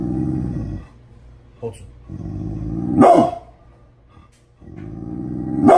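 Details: Angry morning Pit Bull named Bullet: a deep throaty growl, a short pause, more growling, then a sharp bark, growl rising again into a final bark.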